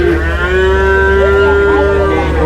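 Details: At Chholakkal cattle market in Payyanad, Manjeri, Kerala, a young water buffalo calls with a sustained, flat, droning moo lasting the whole moment over a steady low rumble of traffic and crowd.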